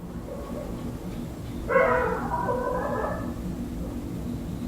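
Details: Dogs barking at night, heard from an indoor room through an open window: a single drawn-out harmonic bark lasting over a second, with steady low room hum underneath.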